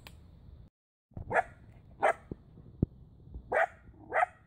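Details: Five-month-old male Border Collie in training in Tampa Bay, anxious about loud noises, barking when nervous: four sharp high yapping barks spaced about half a second to a second apart, with clicks and low background rumble.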